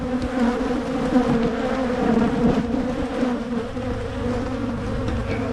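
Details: Honey bees buzzing at a Michigan hive being split to prevent swarming, with Carniolan queens arriving for installation; a dense, steady hum with bands near 250 and 500, fluctuating slightly in loudness throughout.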